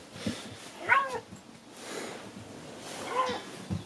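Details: Bored captive-born Siberian lynx on a morning with the big cats, giving two short arched meowing calls about two seconds apart, rising then falling in pitch, with rustling and handling noises around them.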